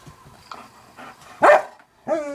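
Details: Indoors, a household dog watching cat videos lets out a single loud, abrupt bark after quiet shuffling, followed by a sustained harmonic whine-like tone.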